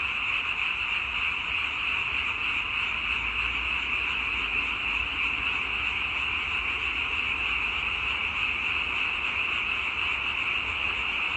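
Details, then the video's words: Constant massed frog calling, a bright buzzing chorus of countless overlapping voices, steady and unvarying across the whole stretch, without gaps, and no birds, people or music. "와성멍 (개구리 와, 소리 성, 멍 때릴 멍)"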